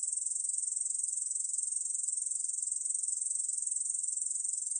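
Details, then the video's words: A Ussuri bush cricket, 중베짱이, sings in this 2020 National Institute of Biological Resources recording: a shrill, steady electric buzz made of very fast pulses that runs without pause. Nothing else is heard. "중베짱이, 여러번 듣기, 곤충소리"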